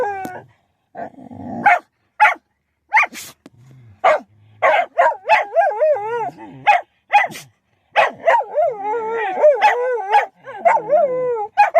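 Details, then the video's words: Beetle, a pet Shetland Sheepdog whose howling makes him sneeze; sharp short barks and yips scattered through, then wavering tonal howls with rippling harmonics building in the second half. "Does howling make you sneeze?"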